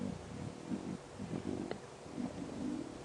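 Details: Wild lions of the Nkuhuma pride growling around a buffalo carcass at sunrise under a dark cloudy sky, cubs and deeper-voiced females aggressive at the kill; rough low rumbling growls come in repeated bursts over steady hiss.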